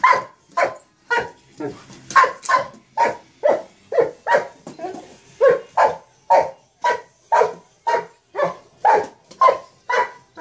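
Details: A Mastiff at play with a sock monkey jack-in-the-box barks repeatedly, booming woofs coming almost twice a second with slightly uneven spacing and a faint voice in the background.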